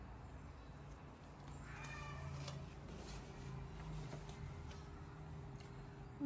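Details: Baby kitten with a sore eye, being given eye drops every day, lets out a short, tonal, slightly wavering meow about two seconds in, followed by quieter mewing, over low steady background hum.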